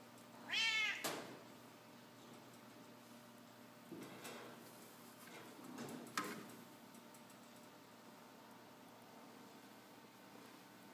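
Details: Indoor domestic cat uttering one short meow near the start, pitch arching up then down, followed by a quiet room with a few soft knocks and thumps.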